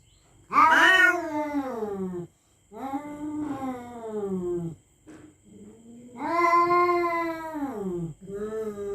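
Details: Night-time threat yowls from territorial cats: a sharp loud onset, then several drawn-out, wavering moans that sag in pitch, split by short pauses. A faint steady high whine runs underneath.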